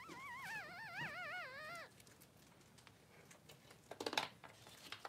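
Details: Three-day-old newborn Blenheim Cavalier King Charles Spaniel puppy, one of two boys in a pen with mother Pom-Pom; a wavering, warbling high whine with rich harmonics lasts nearly two seconds, followed by quiet rustling and crinkling bedding sounds.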